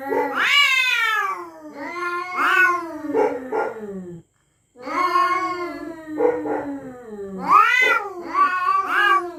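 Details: Territorial cats at night threatening each other: long, wavering, harmonic yowls that rise and fall, in two drawn-out bursts split by a brief silence midway.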